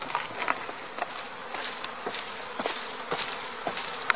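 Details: April 2017 honey bee swarm during installation in a hive: loud, busy buzzing laced with frequent crackling taps and knocks from handling the bees.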